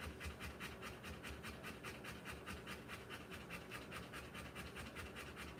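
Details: Rottweiler giving birth to puppies, panting steadily: rapid breathy pants about two and a half per second in an even, regular rhythm, with no other clear sounds.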